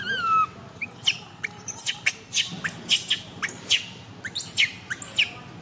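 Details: Baby monkey MoMo, tiny and female, cries as she falls down. A long whistled wail opens, then sharp high screeches sweep downward in quick uneven bursts, several per second, over a quiet murmuring background.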